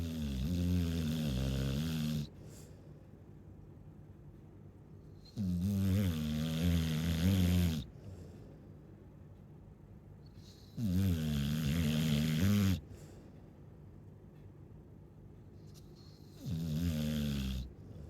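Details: A Chow Chow snores steadily. Four loud, throaty snores with layered low harmonics come roughly every five to six seconds, each lasting about two seconds, with near silence between breaths.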